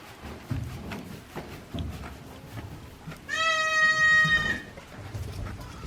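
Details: One-day-old baby goats on a Japanese goat farm, April 2024: after a quiet stretch of faint rustling, a single long, steady, high bleat with clear harmonics rises out of the background.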